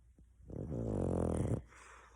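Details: A female pet dog snoring loudly while asleep, said to sound like a person. One long, low, rumbling snore lasts about a second, then quiet room noise.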